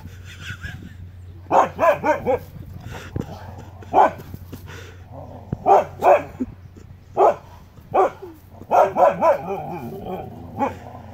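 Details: Two huskies on the Pacific Crest Trail, in the title's mountain-lion encounter, bark in sharp, repeated bursts, some in quick runs of three or four, as the owner urges "what is it, get it", on a cold, damp Pacific Northwest morning, 13 August 2017.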